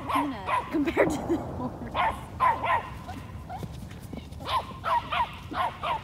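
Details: A toy Australian Shepherd, eight months old, herding an 800-pound Peruvian horse; a rapid series of short, sharp, high yapping barks in bursts of two or three, repeating through the recording with brief pauses between.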